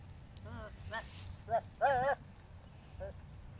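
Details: Philippine native goats, male and female, showing mating behaviour while ready for breeding; a series of short quavering bleats, one longer and louder wavering bleat near the middle, over low rural background rumble.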